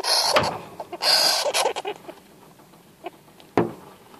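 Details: Young golden (Syrian) hamster, newly acquired, calling out when afraid or annoyed at a first encounter on 8 February 2014; loud broadband hissing squeals in two long bursts, then softer clicks and scrapes, Finnish speech nearby.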